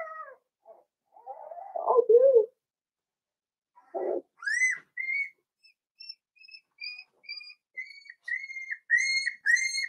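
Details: Four-week-old Cavalier King Charles Spaniel puppies in an indoor puppy pen: a few low grumbling whines, then a series of high, thin whistled whimpers repeated about every half second, growing louder toward the end.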